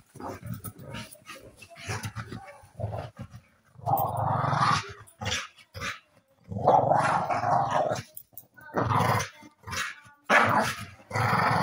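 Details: An American Staffordshire Terrier in New Zealand growls and barks in rough, broadband bursts, getting feisty while playing with its owner.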